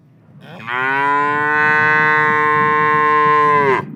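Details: Black and white cow in a pasture gives one long, steady moo lasting about three seconds. The tone is even and rich, with a clear onset and a short falling tail at the end. No other sounds are heard.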